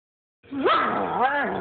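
A German Shepherd gives a short burst of tonal, whine-like vocalizing. The pitch slides up and then wobbles up and down, sounding almost like the dog is trying to talk.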